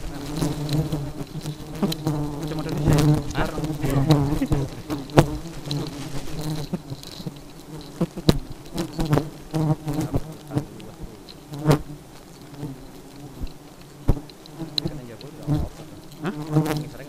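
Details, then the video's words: Honey bees in a very aggressive state keep up a continuous low hum with clear overtones, punctuated by frequent sharp ticks and quick whooshing fly-bys close at hand. "Lebah Madu Sangat Agresif"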